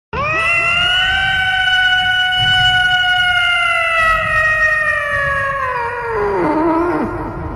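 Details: A domestic cat meows into a microphone: one long, siren-like meow rich in harmonics that rises slightly, holds several seconds, then slides down and breaks off.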